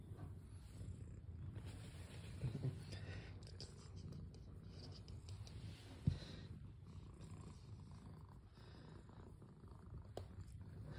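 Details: Cat purring: a soft, continuous low rumble throughout, quiet with faint background hiss and a single sharp tap near the middle.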